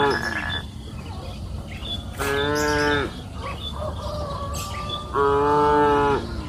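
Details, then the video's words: Cows grazing freely on a green pasture hill in the afternoon give two drawn-out, harmonic moos about three seconds apart, each lasting roughly a second, with faint bird chirps in the background. "Sound of cows mooing up the green pasture hill in the afternoon"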